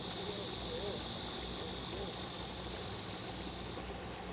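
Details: Cicadas drone on a hot summer day on Nami Island in Gangwon-do, Korea, near waterfalls and the Bukhan River. A dense, steady high hiss holds, then cuts off abruptly near the end, over a lower rush of water.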